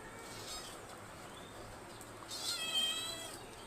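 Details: Pet cat being fed a home-cooked Bengali meal at home gives a high, clear drawn-out meow near the end, with a fainter one earlier over quiet indoor background.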